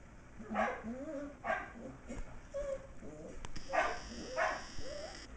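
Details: Shetland Sheepdog barking during play: an almost six-week-old sheltie puppy, MacTavish, romps around a great room with older dog Sasha. Four sharp, high yipping barks come in two pairs, with brief whiny tonal sounds between them and a person speaking softly.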